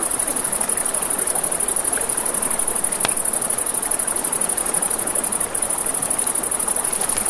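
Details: Crickets chirping at night near a river, an even shrill pulsing band without pause, with campfire crackles, one sharp snap of the fire, and continuous water rush beneath.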